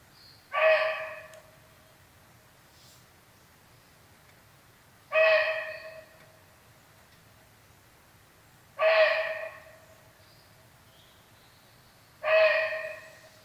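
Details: Barking deer raising an alarm on sensing the presence of a tiger: four loud, hoarse, abrupt barks, each sharp and quickly fading, spaced about three to four and a half seconds apart over a quiet, still background.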